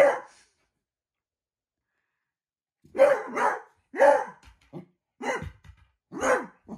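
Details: A beagle puppy barks at a shadow with loud, hoarse barks in uneven bursts, some with a falling, baying edge.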